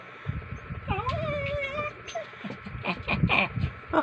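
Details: A dog gives a rising, whining tone that holds steady and tapers into softer whimpers. Mumbled human speech and background noise run beneath it.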